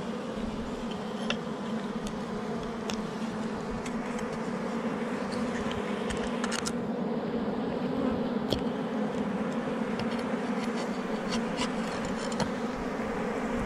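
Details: Wild forest honey bees at a hive tucked under rocks during honey collection, humming in a continuous thick drone, with scattered clicks and taps breaking through now and then.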